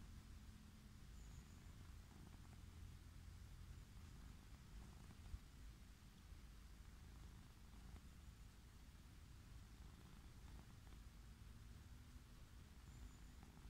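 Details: Orange tabby living wild, stroked as it lies on grass, keeps up a deep, unbroken purr, a low rhythmic rumble that barely changes in loudness, against faint background hiss.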